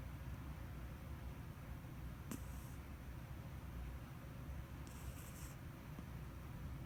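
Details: Sleeping house cat in deep slumber on 29 October 2017, giving gentle puffing snore breaths: two soft breathy hisses roughly two and a half seconds apart, set against constant low-pitched room hum.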